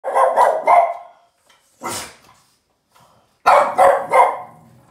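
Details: Yoda, a Boston terrier, angrily barking at the trash can: a quick burst of three sharp barks, a pause, one breathier bark, then another rapid triple bark.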